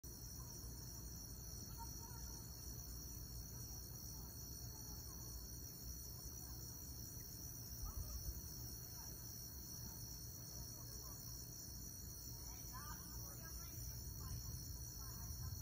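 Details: Crickets trill steadily in several high, unbroken tones over a low, rumbling background during a lightning storm.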